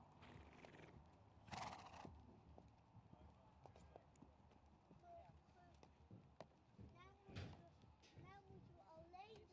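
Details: Friesian horse calling in the ring at a studbook inspection in Boxtel on 21 September 2024. A loud burst is followed later by shrill, wavering whinny notes. Dutch commentary from the judge and hoof clatter continue underneath.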